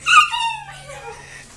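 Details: A 12-week-old Siberian husky puppy, watching a turkey outside, gives a sharp high yelp that drops into a wavering, falling whine fading over about a second.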